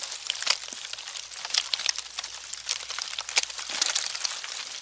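Termites give a dry, irregular crackle of fine ticks and rustles, dense and high-pitched, like paper being crinkled, with no other sounds.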